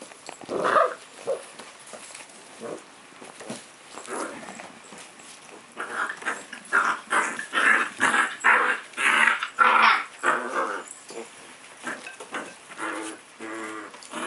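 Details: Puppy at play, growling in short rough bursts, sparse and soft for the first six seconds, then loud and rapid at roughly two per second, with harmonic snarling tones between.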